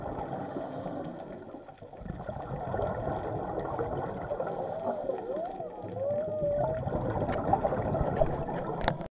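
A whale gives wavering, tonal moans that rise and fall, over a steady rumble of underwater noise.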